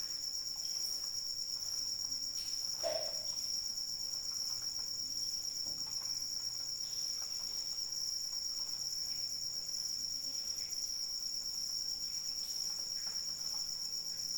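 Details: Rain-soaked night with crickets: a continuous high-pitched trill that never lets up, one short lower squeak near the start, and scattered light drips over a steady rain hiss.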